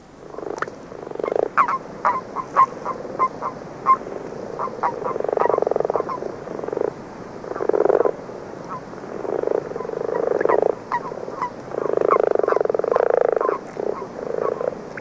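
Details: Common frogs singing in early season from February, with a few common toads: dull snoring purrs in bursts of one to two seconds around the low-mid range, overlapping, interspersed with short clicky notes.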